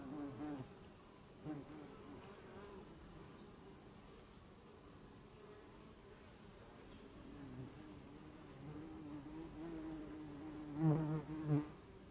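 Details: Honeybee in close view, with short buzzing passes at the start and a stronger, wavering hum near the end, and quieter background between them.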